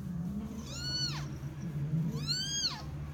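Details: Persian cat named June meowing while giving birth to her kittens; two loud, harmonic-rich meows, each rising then sharply falling, about a second apart over a steady low hum.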